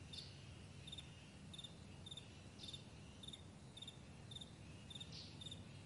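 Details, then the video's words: Morning meadow crickets chirping: bright, clipped trills of a few pulses repeated roughly every half second, fairly even in pace, with a constant deep rumble underneath. "Morning Crickets"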